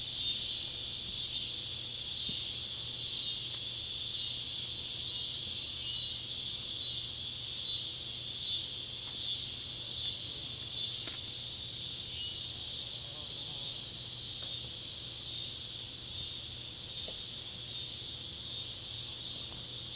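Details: Cicadas, Neotibicen pruinosus and Neotibicen tibicen, in Ballard County, Kentucky, at sunset on July 31, 2013, near an old tobacco barn; a dense high buzz swells slightly in pulses throughout, with occasional faint clicks and a low hum.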